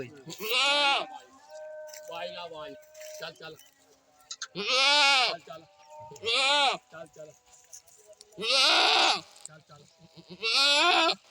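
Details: Goats giving harsh, quavering bleats, six loud cries roughly every one to two seconds, mixed with quieter short bleats and faint background murmurs.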